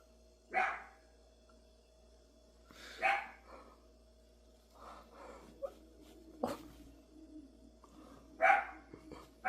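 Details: Barking dog, four sharp barks spread across nine seconds with softer grumbling sounds in between, over a steady electrical hum.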